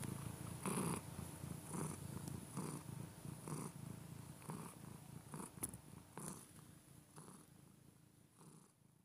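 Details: Close, quiet purring from a cat: deep vibrating rumbles in regular pulses under a second apart, gradually softening toward the end, with a faint steady hiss behind.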